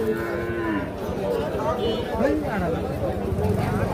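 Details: Young calves at Ambari cattle market on 28/3/25: a series of short, arching, nasal bleats and moos, several overlapping, within dense market crowd noise and people talking.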